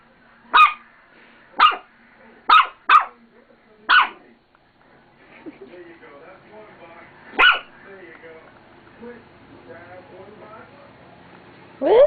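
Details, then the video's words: A female pet dog named Roxy barks at her reflection in a mirror without grasping it is herself. Five sharp barks come about one per second, then a pause with soft talking and one more bark. "Roxy Barking"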